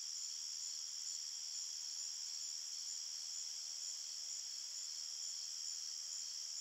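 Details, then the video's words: Many crickets chirp together in a forest after dark, blending into one steady, piercing high-pitched drone with a faint hiss beneath it and no breaks. "Crickets Chirping Sounds"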